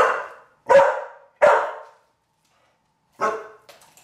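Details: Pit Bull girl being taught to bring a small wine bottle from the fridge barks loudly three times, roughly every 0.7 seconds, pauses, then lets out a fourth bark.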